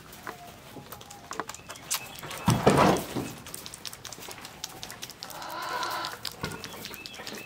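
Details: Bottle-fed kid goats, seven to twelve days old, with a rough burst of noise early on, then a drawn-out, harmonic bleat lasting about a second amid scattered clicks and handling sounds.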